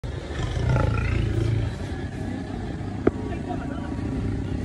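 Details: Lion giving a deep, low rumbling roar for about a second before it fades, with a steady engine-like drone and a brief click underneath.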